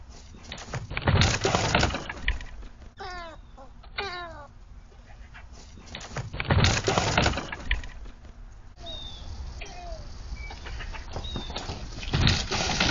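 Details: Predator call or cry of a squirrel, recorded Nov 27, 2022: a pair of nasal, downward-slurred cries around the middle, partly buried under loud bumping and rustling noise, with faint thin whistles later.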